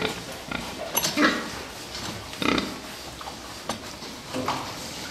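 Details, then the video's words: Fattening pigs in a steady, noisy background, with several short hoarse squeals and grunts rising above it at irregular intervals. "prasata výkrm"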